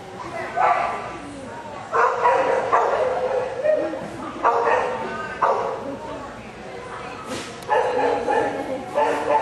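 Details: Rhodesian Ridgeback DaVinci, AKC dog, recorded 18 August 2013, giving loud harsh barks in bursts about every one to two seconds, with human voices heard between and under them.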